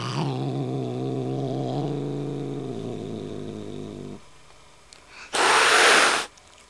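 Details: Kitten growling back at an older, dominant cat: a low, rough, sustained growl lasting about four seconds with a slight drop in pitch partway through, then a brief quiet gap and a sharp, harsh hiss-like burst.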